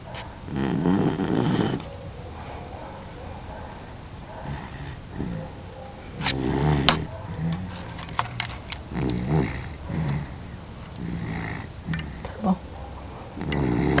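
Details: Snoring dog fast asleep, loud guttural snores repeating steadily about every one and a half seconds, each a coarse rumbling breath, with a few faint clicks and a steady high whine behind.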